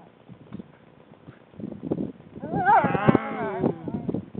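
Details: Crunching, shuffling noises, then an Alaskan Malamute in the Jizerky mountains, February 2005, lets out a short, rich howl whose pitch wobbles up and down like a woo-woo before trailing off.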